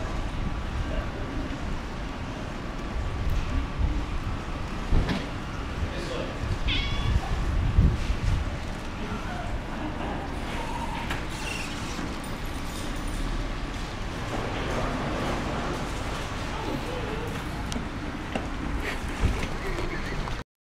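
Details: A ginger cat called Ginger Bollocks, possibly female, hangs around inside Tesco in Abergele and gives short meows amid human voices, shop hum and scattered clatter.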